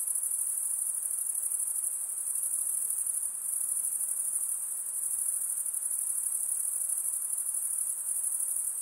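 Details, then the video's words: Insects at night producing an unbroken, very high, rapidly throbbing shrill drone with slight swells in loudness and no other sounds. "night insect sounds"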